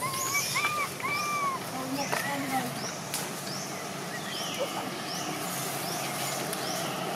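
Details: Crying from Jixn, a baby macaque in Siem Reap Province, Cambodia, angry that mother Jade will not allow milk: two or three arched, whining cries early on, then a steady hum of outdoor background with faint repeated chirps.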